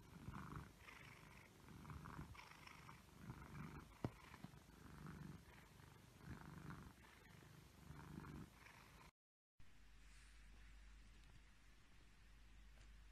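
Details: Egyptian Mau cat purring steadily, rhythmic low rumbling breaths repeating about once a second for nine seconds, then a brief cut followed by a low steady hum.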